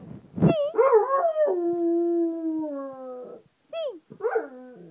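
A Rottweiler howls in long, wavering tones that slide slowly downward, with short yelps between.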